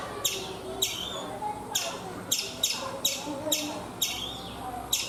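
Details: Series of abrupt, shrill chirps from a chipmunk on a coconut tree in India, spaced unevenly around half a second apart, some paired closely, against faint low background noise.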